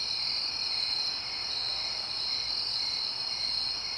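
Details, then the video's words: Crickets in the suburbs at night, with quiet distant traffic. A continuous high, shrill chorus of trilling chirps holds steady throughout, its pulses merging into an unbroken ringing with slight swells in intensity. "Crickets SFX. Suburbs ambience at night."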